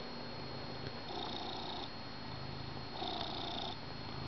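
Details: A pet cat purring on a blanket beside its owner on the couch during morning coffee, a steady low rumbling purr that swells on each breath roughly every two seconds, with a faint steady electrical whine behind it.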